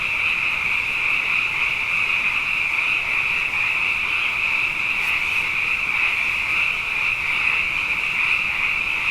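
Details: Many frogs call together at night after back-to-back wet years, producing a continuous high, buzzing chorus of interwoven croaks that never pauses, with a brief faint hiss midway.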